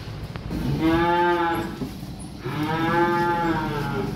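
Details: Small calves being delivered by truck: two clear, harmonically rich moos, the first short, the second longer and sustained, separated by a brief pause, with faint low background rumble.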